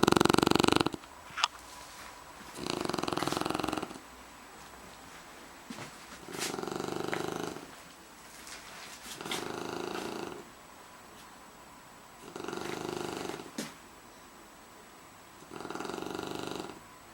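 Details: Shar Pei asleep and snoring, with loud rasping snores about every three seconds, each lasting around a second, separated by quieter breathing and a few sharp clicks.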